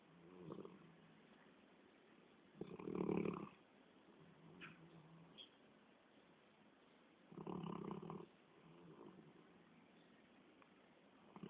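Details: Labrador Retriever snoring in its sleep, giving long, raspy snores roughly every four to five seconds, each lasting close to a second, separated by soft, low breathing sounds.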